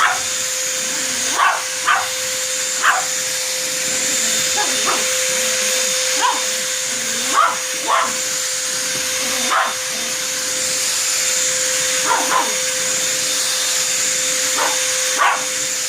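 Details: Dog barks at a vacuum cleaner. Short, sharp barks come roughly every one to two seconds, sometimes in quick pairs, above the constant droning hum and high whine of the running machine.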